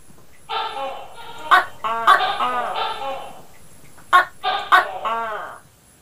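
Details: Gecko in the Philippines, said to shout its own name: loud, hoarse, harmonic two-part calls, given in clusters with short gaps, each syllable rising then falling, with a faint steady high hum behind.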